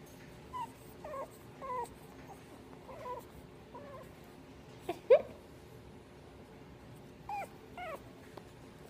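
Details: Pug puppy whimpering in short, high, thin rising squeaks, a cluster in the first four seconds, a louder sharp yelp-like whine near the middle, then two more soft whines near the end over a quiet room hum.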